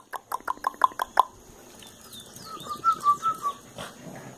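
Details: Red Boston Terrier puppies give a quick run of high, squeaky yips, then a thin, wavering whine.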